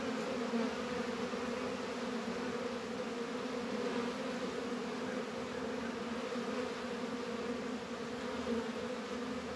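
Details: Warm winter afternoon in February at a northern Kentucky apiary, 72 degrees, honey bees busy around Langstroth and Warre hives; an unbroken, even buzzing drone holds for the whole stretch with soft rustle beneath.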